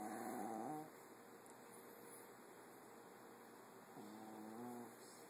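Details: Female Boston Terrier snoring while asleep, her snores frightening a Golden Retriever; two faint, drawn-out tonal snores with a droning, harmonic quality, one at the start and another about four seconds in, over steady low background hiss.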